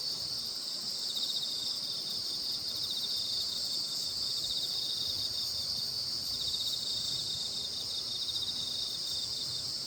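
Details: Insects chorusing on a full moon night at Baekjung, the Korean midsummer festival: a dense, continuous high shimmering trill with steady pulsing, many callers overlapping without pause, no other clear sounds.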